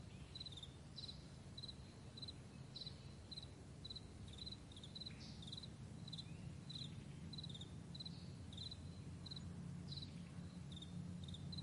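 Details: Crickets on a vast meadow in the morning, recorded May 9, 2020: short high chirps in quick pairs, repeated about twice a second in a steady chorus over a constant low rumble from a passing plane.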